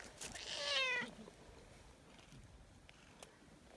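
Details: A friendly outdoor tortoiseshell community cat, which let itself be petted only recently after three years, gives one strong, slightly falling meow at the start. Soft rustling and distant ambient noise follow.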